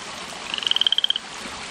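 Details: Loud frog calling in a garden at 10:30 at night, a newcomer to a yard far from any bog or lake, croaking nonstop from about 5pm to 5am: one rapid trill of about twelve bright, evenly spaced pulses rising slightly in pitch, over a steady hiss.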